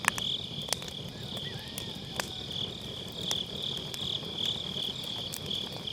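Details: Autumn-night grass insects trill continuously near a campfire in a round fire pit, captured on a Sennheiser MKE600 with low cut; the high pulsed chirping holds steady while firewood snaps in scattered sharp cracks.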